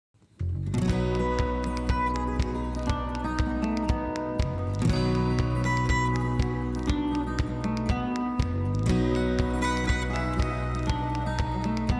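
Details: Plucked acoustic guitar music plays continuously after a brief silent start, with strummed chords and a steady low rhythm; no barking or other animal sounds are heard.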